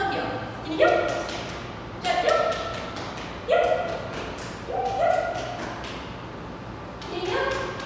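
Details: Jeb, a Bluetick Coonhound about two years old, on a two-week board and train program, gives five loud, deep barks spaced roughly one to two seconds apart, with a person talking underneath.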